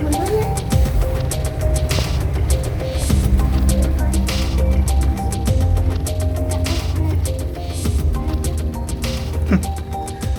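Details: Loud music with a heavy, steady bass and sustained tones fills the whole stretch, and no animal voice can be heard.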